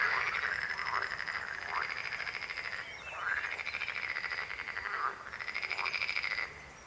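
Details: Croaking frogs give rapid pulsed trills in bursts of about one to three seconds, each with a rising-then-falling contour, several voices overlapping in a steady chorus.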